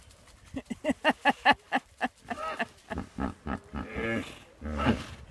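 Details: Hippos crowd a big, filthy pond in the Serengeti, where one large male appears to be putting on a display. A fast run of deep, resonant honks pulses about five times a second, then gives way to looser chuckling grunts.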